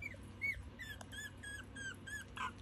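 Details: Chihuahua puppies, aged between one day and seven weeks, give thin, high squeaks, short whining notes repeated roughly three times a second over faint background music.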